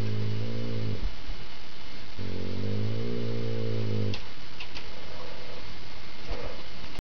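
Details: Two long, low rumbling growls from Rhade, a critically ill dog, who sounds mad but is only playing tug with his little "sister" Rommy. Each growl lasts about two seconds, with a pause between them, and faint clicks and shuffling follow.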